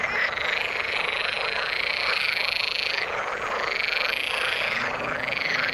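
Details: A waterside frog chorus, bright and pulsing, with overlapping croaks and brief upward-sweeping notes from numerous callers keeping up a constant, even din.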